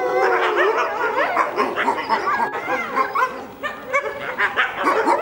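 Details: Critically endangered red wolves at the Tallahassee Museum, two parents and four ten-month-old pups (three males, one female), howl together in a wavering chorus of overlapping high notes, answering a far-off ambulance.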